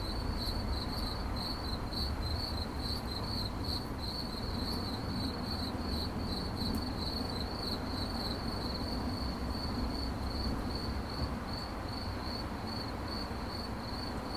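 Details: Cricket chirping in 8D audio, with a long series of bright, high pulses at a steady quick tempo that smooth into near-continuous trilling toward the end, backed by constant low-frequency noise.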